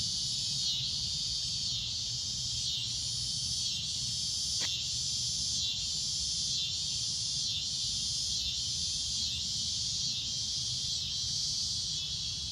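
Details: Shrill cicada drone at sunset, a high buzzing band that throbs in regular waves about every second, with one sharp click partway through.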